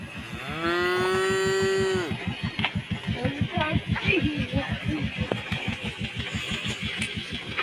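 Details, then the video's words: Tame cows in a large herd gathered in harvested village rice fields, calling while eating rice straw; one long, steady moo over a rapid low rhythmic engine-like thumping that continues after the call, with faint chirps above. "sounds of tame cows calling their friends to eat straw"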